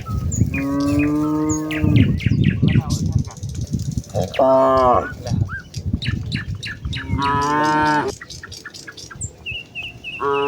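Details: Cows from a village herd moving towards the fields in a peaceful morning setting, giving several loud harmonic moos of varied pitch, with trampling underfoot and frequent sharp bird chirps around them.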